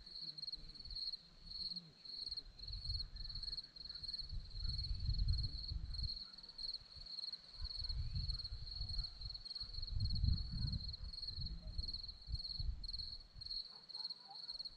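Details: Hillside crickets at Zorlesti, Romania, trill in a continuous high pulsed stream of rapid chirps, with gusts of low rumbling wind rising and falling beneath them.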